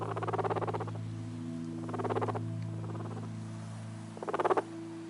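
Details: A guinea pig purrs in short, rapid pulsing bursts over a steady low hum, usually a sign of contentment or relaxation.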